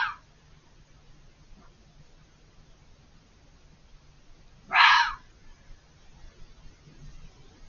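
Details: Fox screaming out of sight on the other side of a hedge, very vocal for over five minutes; a single harsh, hoarse scream about half a second long, with a cut-off cry at the start, over quiet night background.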